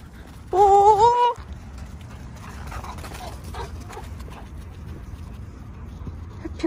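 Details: Overjoyed at grandfather's return home, Mango, a male English Golden Retriever with a white-cream coat, gives one short high whine that climbs in pitch, followed by faint household background.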